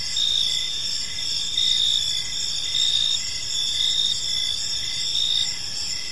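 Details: Chirping crickets in a park as evening falls: bright, high, continuous trilling broken into repeated chirp bursts roughly once a second, over a gentle ambient hiss.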